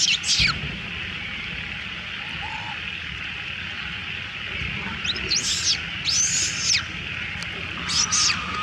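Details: A little female monkey gives shrill, arching cries in short bursts, protesting as other monkeys steal her food.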